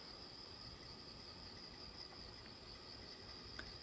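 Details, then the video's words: Crickets chirping outdoors along a footpath just after rain has stopped; a steady high-pitched trill runs unbroken throughout, with faint background noise. "झींगुरों की आवाज़ सुनाई दे रही है।"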